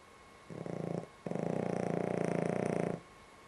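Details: Sleeping dog snoring indoors, described as one of its more bearable sleeps; a rattling, finely pulsed low snore in two breaths, a short half-second one then a longer steady one lasting nearly two seconds.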